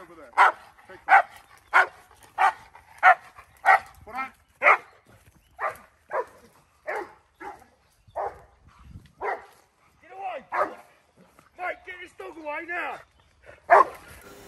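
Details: American bulldog in woodland protection training, giving a hold-and-bark as intimidation short of a bite: a loud series of sharp barks, about every half second at first, then spacing out, with a few whining, strained yelps near the end.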